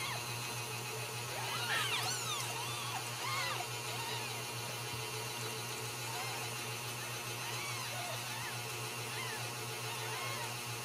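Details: Ragdoll kittens born in a home cattery in central Kansas, squeaking in a burst of rapid high mews early on, then scattered softer arched mews, against a continuous low hum.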